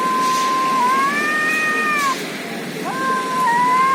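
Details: Cats in a fight in India give a drawn-out tonal yowl that holds nearly level, dips slightly, then swells, followed after a brief gap by a second long level yowl, over a steady hiss of background noise.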